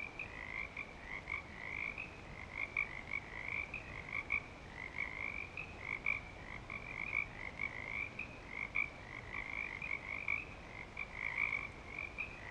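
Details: Clearwater Commons frogs in breeding season: many callers producing overlapping high-pitched trilled notes in a steady, pulsing chorus, louder peaks recurring every second or two against a low background rumble.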